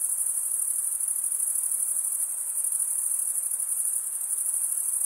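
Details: Crickets stridulating, males rubbing wing against toothed wing vein: a dense, unbroken high-pitched trill pulsing rapidly and evenly, with no other sounds.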